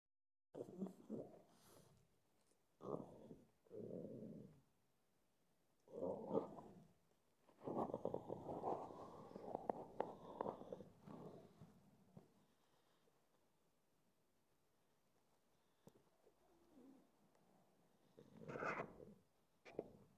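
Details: A pug, apparently deciding whether to sleep, snorts, grunts and breathes noisily in short rough bursts, with quiet pauses between.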